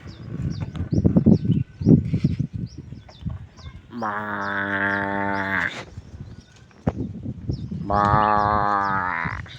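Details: Simmental cattle from a newly formed herd of thousands; two long, drawn-out harmonic moos, each near two seconds, follow an opening stretch of thuds, shuffling and rustling noise.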